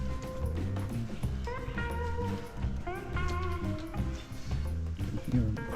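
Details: Guitar music with a steady bass line and a voice over it; no animal sounds.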